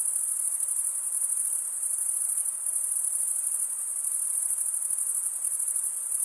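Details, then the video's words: Steady chorus of chirping crickets, the males producing stridulation with their wings; a very high, continuous ringing trill, evenly sustained, with no other noise. "Most relaxing cricket sound for 8 hours"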